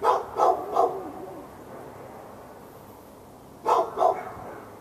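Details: Domestic dog in Raleigh, North Carolina, on February 15, 2012, barking behind a fence at the neighbouring dog during a non-stop bout lasting from morning into afternoon: three quick barks, a long pause, then two more barks.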